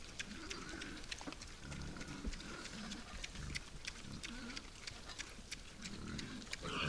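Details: Night-time grunting of wild boars visiting a forest feeder: short, low, throaty grunts recur every second or two amid constant sharp ticking and rustling, with the sound swelling toward the end.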